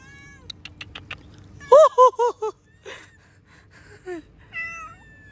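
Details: Outdoor cat meowing while a man offers fish, short clicks first, then a run of four loud, bent, rising-and-falling meows, followed by softer mews and a final wavering cry.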